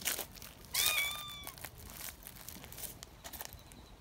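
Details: Single piercing meow from a young community cat worked up at being held, short and level with a falling tail, followed by crinkling and rustling noises.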